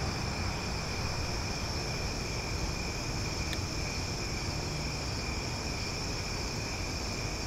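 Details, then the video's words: Cicadas singing loudly after dark on a summer night in Omaha, a continuous layered buzzing hum that never pauses, with one brief sharp click midway and a steady low-pitched background rumble underneath. "Cicada Sounds for Sleep"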